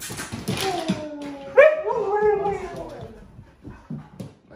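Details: Pet huskies, including Lola, a puppy grown nearly to full size, react indoors to a scary movie costume prank. Rustling comes first, then a sudden, drawn-out, tonal husky whine that wavers and falls away, with scuffling afterward.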